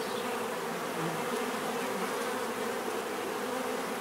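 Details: A short burst of bees' natural buzzing: a thick, level hum of many insects with low droning tones and a brief lower buzz sliding in near the middle.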